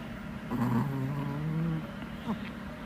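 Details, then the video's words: Small male dog snoring indoors, Chihuahua Hodu or Pomeranian Sugar; a low droning snore of just over one second with a faint raspy edge, followed by a soft click, over low background hum. "코골이 범인은 누구?"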